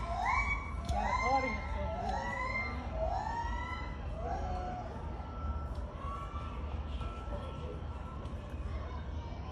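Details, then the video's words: Gibbons in a zoo give loud, rising whoops, each swooping upward and repeated roughly once a second. "(0) आवाज़ जो आपने सुनी है ना, ये गिब्बन्स की है।"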